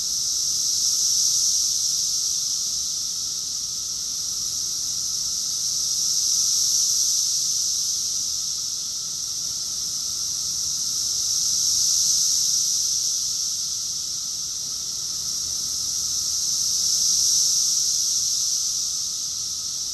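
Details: Summer cicada chorus from Rockville, Maryland, USA, June 2021, a steady shrill droning hiss from many insects at once, rising and ebbing roughly every five seconds with no other clear sounds.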